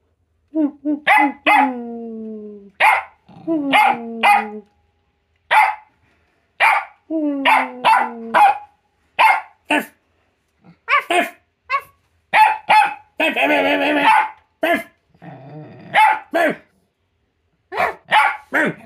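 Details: Bailey, a female Jack Russell Terrier, gives sharp, high barks in quick bursts in a barking competition, answered by a person's imitation barks.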